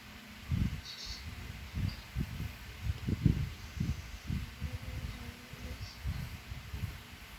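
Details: French Bulldog snoring like a human: low, rumbling snorts in irregular bursts, several per second at times, with brief quiet gaps; a faint high chirp sounds twice in the background.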